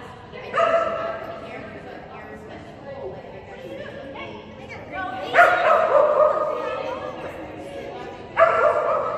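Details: Female Kerry Blue Terrier Phenix barks during agility training on 11/12/2019, toy reward used on contacts; three separate loud, tonal barks spaced several seconds apart over a background of people talking.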